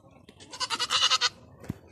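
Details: A lost goat that has returned home, bleating once in a long, wavering, tremulous cry of about three-quarters of a second, followed by a short low thump.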